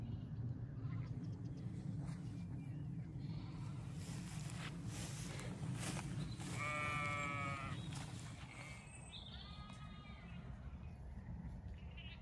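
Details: Zwartbles sheep flock spread across a field in County Kilkenny, Ireland, grazing diverse regenerative pasture on a cool evening after a hot day; a single harmonic bleat and a fainter one stand out over a steady low rumble of wind and handling noise.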